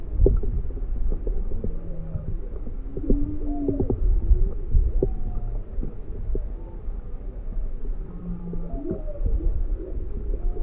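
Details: Young humpback whale with its mother off Maui, February 17, 2020, curiously approaching a drifting boat; scattered short tonal moans, some upswept and some flat, spread through ten seconds of low rumbling noise and faint clicks.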